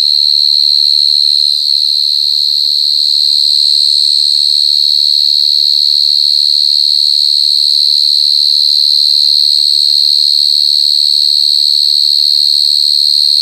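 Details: Jangkrik gangsir, a short-tailed cricket, singing super loud: one continuous shrill, pure-toned trill, very even and unchanging in pitch and loudness throughout, with a thin higher overtone and almost nothing else audible.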